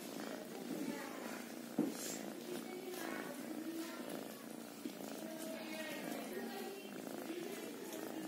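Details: Kitten purring in a steady, rough rumble that runs through the whole stretch, with a brief sharp knock near the two-second mark and faint higher hiss above.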